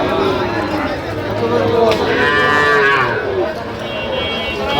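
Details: Sahiwal bull calves being sold at a market in Sylhet, Bangladesh, 8 October 2025. Drawn-out moos bend up then fall, overlapping one another above a busy hum of people and faint music.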